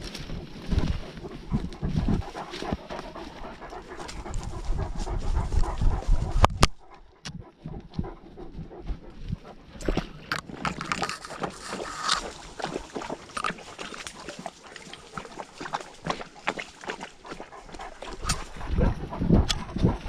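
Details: Great Dane on a lockdown walk, captured by a GoPro dogcam: rapid, uneven breathy panting about two puffs per second, interrupted by a brief dropout, with handling thumps and outdoor rustle throughout.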